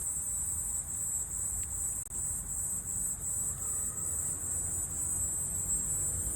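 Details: Walker's cicada still singing in autumn: a steady, unbroken, very high-pitched buzz holding an even level throughout, over a low background rumble.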